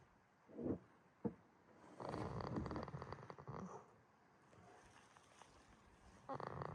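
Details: Jitta, a goat asleep at Yoshigake farm in Himi, Toyama, Japan, snoring: two short rasping snorts, then a long rough breath with low vibration, a pause, and another harsh snore beginning at the end.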